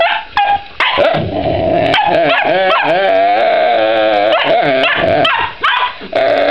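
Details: Pet puppy Bob Barker keeps barking at Koda as she chews her rawhide; near-continuous drawn-out, wavering yips and whiny barks with bending pitch, broken by a few short sharp barks and brief gaps.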